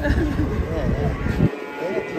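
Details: Agitated cattle coming down off a truck, giving a low, rough, short moo amid heavy low rumble and people talking nearby.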